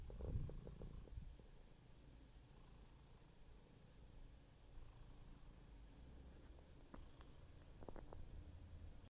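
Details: Domestic cat purring steadily, a soft low continuous rumble throughout with faint brief clicks and taps near the start and toward the end.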